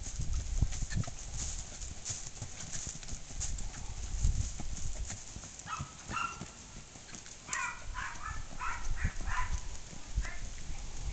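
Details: Hoofbeats of a Tennessee Walking Horse stallion: low, irregular thuds throughout, joined midway by short tonal calls from another animal in the background.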